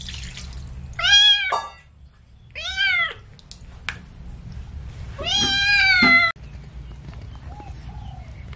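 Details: During a bath with baby shampoo, a kitten meows three times, each call loud, high and wavering, the last one longest, with faint dripping water and low background hum.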